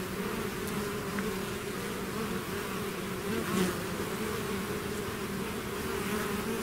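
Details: Bees swarming out of the hive create a steady blanket of buzzing, deep even hum with individual fliers zipping past close by, small swell just after three and a half seconds.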